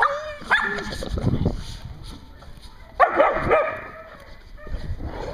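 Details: Dogs at a dog daycare in Hooksett, New Hampshire: a sharp bark and yips near the start, then a louder burst of several quick barks midway, with quieter rumbling between.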